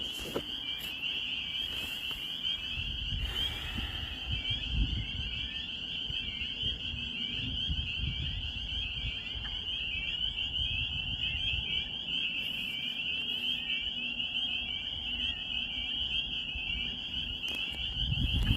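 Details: Spring peepers at night-like full chorus in rural Maine in spring: countless high, piercing peeps overlapping into an unbroken shrill wall of sound, with soft low rumbling and occasional handling knocks.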